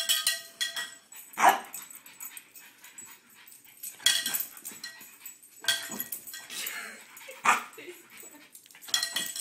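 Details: French Bulldog worked up by a cow bell: loud single barks spaced about two seconds apart, with a person's voice heard between them.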